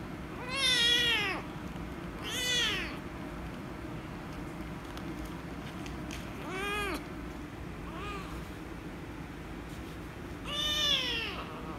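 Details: Angry rescue kitten meowing loudly as it is petted: five arched meows spread over about twelve seconds, two loud ones early, softer ones in the middle, a final loud cry, against a constant low hum.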